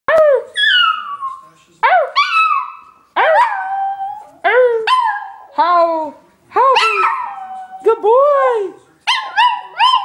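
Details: Pet dog howling in a string of short, loud, yodelling cries, each sliding up then down with bright harmonics, about nine bursts in ten seconds separated by brief silences.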